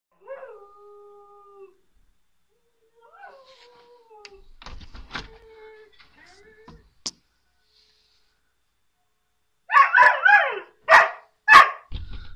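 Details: A male Border Collie on a balcony, aroused by two young female dogs walking below, howls like a wolf in drawn-out, slightly falling tones with short whimpers between, then breaks into loud, harsh, excited crying yelps.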